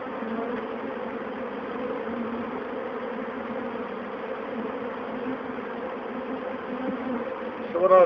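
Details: A colony of over 20,000 Western honey bees, being removed alive from a bird box, fills the air as they run into a box in their thousands: a dense, steady, loud and unbroken hum.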